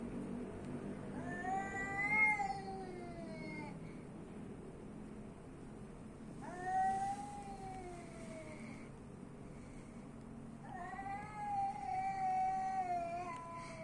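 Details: Street cat in Athens, Greece, giving three long drawn-out meows, each rising then falling and lasting about two seconds, spaced several seconds apart, with faint traffic hum beneath.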